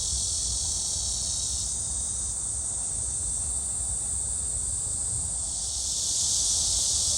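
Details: Cicada chorus at Gwangalli Beach, where dragonflies fly: a continuous high buzzing wash whose pitch band drops and narrows slightly in the middle, then swells back brighter near the end, over faint low ambient rumble.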